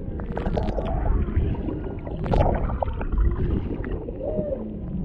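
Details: Humpback whales underwater off Maui, Hawaii: a mother and calf near a boat, a male in the background, recorded by a GoPro Hero 7 Black's built-in microphone. Short tonal moans and squeaks rise over a heavy low rumble of water and engine noise.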